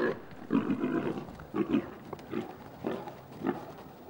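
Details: Wild boars in a forest during mating, the male mounting a female who runs with him half on her back. Short, rough grunts recur roughly every half second to second, with rustling underneath.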